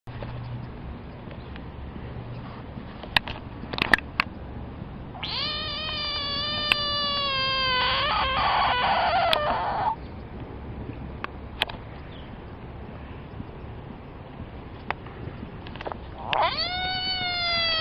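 A threatened frog gives a long, cat-like wailing scream, rich in harmonics, then starts another.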